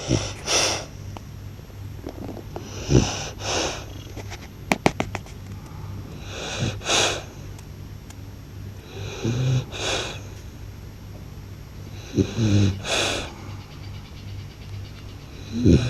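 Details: Loud snoring from a blue French Bulldog: rasping inhale-exhale pairs every three to four seconds, several with a low gurgling rattle, a few sharp clicks, and a continuous low hum.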